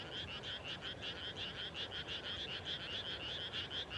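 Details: Countryside frogs at dusk right after rice planting, a dense chorus of rapid, pulsed trilling croaks, several per second, overlapping in a bright, ringing rhythm over soft low background hum.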